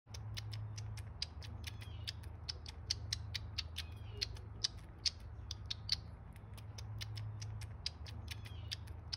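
A baby squirrel sucks steadily from a bottle, making quick wet clicks about twice a second over a low hum.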